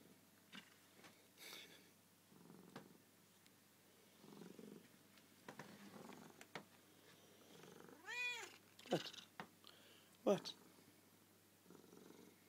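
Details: Pet cat Suki at her nightly bedtime spot, with a black cat joining in. Low, rumbling purr bursts recur every second or two in a small quiet room. A short rising-falling meow breaks in near the end, with a few soft knocks.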